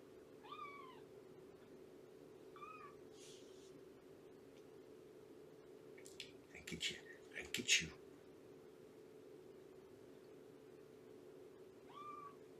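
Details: Shelby, a roughly two-year-old mother cat at Purrfect Pals, during a morning visit: a few short, quiet rising-then-falling meows, separated by long pauses, over a steady indoor hum, with brief clattering and knocking noises midway.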